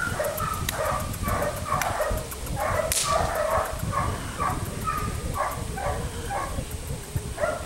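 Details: Felix, a Belgian Malinois puppy aged four months, biting a rag; steady run of short pitched yips and barks roughly twice a second, with rustling handling noise and a sharp snap near the middle.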